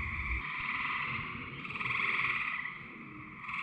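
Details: A dense chorus of Eastern Gray Treefrogs in New England forest on a summer night gives overlapping musical trills as males call for mates.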